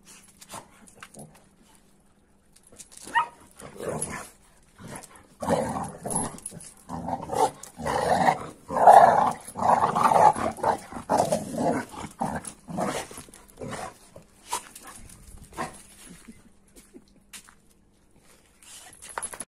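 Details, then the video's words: Rough play between an AmStaff and a Kuvasz: a long run of gruff growls and snarls fills the middle of the clip, with a few bark-like bursts, fading into light scuffles. "AmStaff VS Kuvasz 8 Minutes Of Rough Playing"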